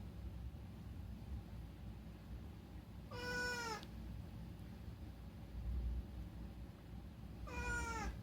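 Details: At night, the rescued house cat Unagi gives two clear meows roughly four seconds apart, each bright and harmonic with a falling tail, against a quiet background of low indoor hum.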